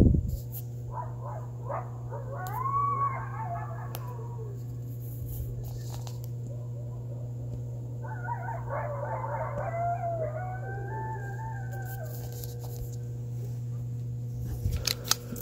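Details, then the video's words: Coyotes calling from a backyard on November 29th, 2020, under a waxing gibbous moon: two bouts of chaotic yips, barks and wavering howls from several animals, separated by a quiet stretch, over a steady low hum. "Coyotes Howling and it was under the Waxing Gibbious Full Moon Phase November 29th 2020"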